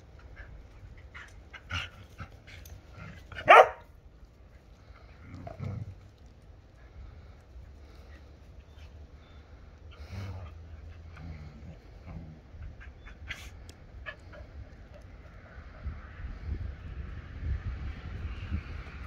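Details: Twelve-week-old Dobermann puppy playing tug with a Border Collie indoors: one sharp, loud bark early on, then low growls and scattered soft yips amid scuffling and thumps of play.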